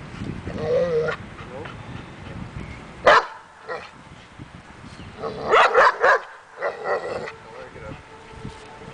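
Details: Daja, a dog in agitation table training to build confidence and barking, gives a few sharp harmonic barks around the middle and a rapid burst of four or five barks later, with a person's voice and outdoor background noise.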